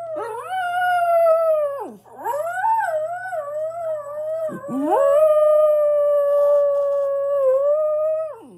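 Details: Pet dog howling on its own indoors: long sustained tonal howls near mid pitch, with a dip and break around two seconds and again near four and a half seconds, rich harmonics above, steady low hum underneath.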